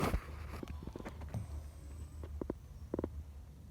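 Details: Pug snoring, with short nasal snorting bursts near one second and again around two and a half and three seconds, set over a steady low rumbling hum.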